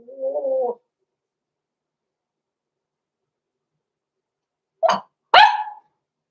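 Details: Blenheim Cavalier King Charles Spaniel puppies at six weeks old, Roman and Blue, indoors in their puppy pen: a drawn-out, wavering whine opens, then after a pause two abrupt, loud barks follow in quick succession.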